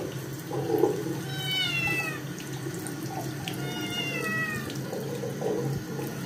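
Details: Scottish kitten that got its paws dirty meows loudly while being bathed a second time; two drawn-out, slightly falling meows stand out above splashing water and a low background hum.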